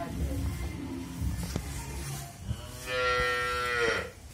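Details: Australian dairy cow with her heifer calf, in her second calving, at a dairy farm in Bhangura, Pabna, Bangladesh; a long harmonic moo rises then falls after low rumbling background noise and a few knocks.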